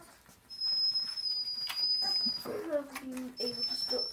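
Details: Hungry 3.5-week-old Vizsla puppies give soft, wavering whimpers as they beg for food, with a steady high whine behind.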